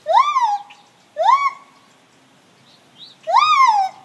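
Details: Gibbons giving a morning song: three loud rising-then-level whooping notes with rich overtones, each about half a second long, spaced roughly one and a half seconds apart, with a faint brief note between them.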